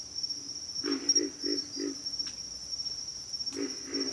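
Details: Pig frogs give a quick run of four low, hoarse grunts, a pause, then two more grunts, while a constant shrill insect drone continues underneath.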